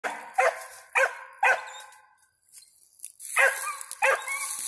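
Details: Five-month-old dog named Ranger, a squirrel dog, barking at a treed squirrel: five sharp, harmonic barks in two bursts split by a brief quiet gap, with a high hiss behind the later ones.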